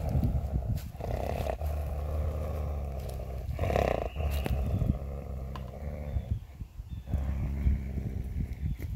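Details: Coyote named Scooter, recorded May 13, 2021, after being spooked and taking a glove; a low, rumbling growl with layered deep tones, rising and falling in rough surges over nine seconds.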